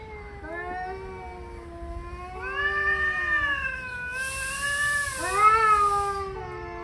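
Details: Male cats locked in a heated argument, trading drawn-out wavering yowls, one voice low and steady while another rises and bends upward, overlapping howls growing louder toward the end, with a brief hiss of noise.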